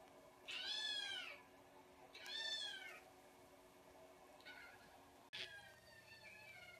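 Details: Kittens meowing: two loud descending harmonic meows about a second and a half apart, followed by two fainter short mews, with low room noise throughout.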